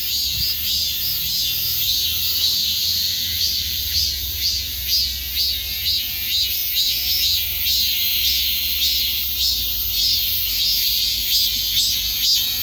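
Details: Cicadas in a shrill, continuous high buzz pulsing about twice a second, the throbbing waves of sound steady over a faint low rumble.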